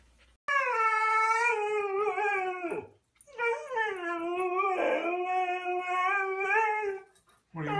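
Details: Siberian Husky howling in two long drawn-out notes, the first about two and a half seconds and the second near four seconds, each wavering gently in pitch and sliding downward at the end, with little other sound.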